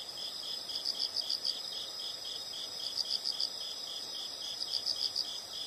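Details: Quieter insects giving rhythmic bursts of high, fast pulsed chirps about once a second over a soft, rough background hiss.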